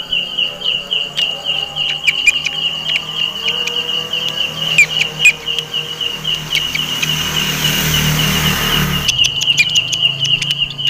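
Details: A belalang kecek grasshopper, which favours jackfruit trees, keeps up a very loud, steady, high, rapidly pulsing buzz, with a brief rush of noise near the end.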